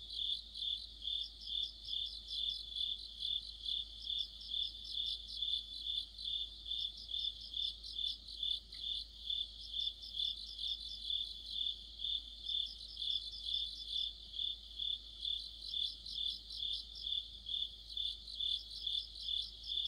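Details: Deep-autumn insect orchestra of crickets near a street lamp, high-pitched pulsing chirps repeated just over twice per second above a sustained trill, with bursts of faster stuttering notes at times.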